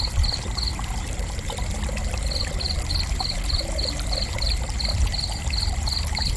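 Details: High, evenly spaced cricket chirps: a brief burst, a pause of about a second and a half, then a long regular run of pulses, over a constant low watery hiss.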